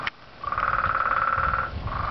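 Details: Loud frog trilling: a dense, rapidly pulsed buzzing note held steadily for over a second, then starting again after a short pause, over low rumbling background noise.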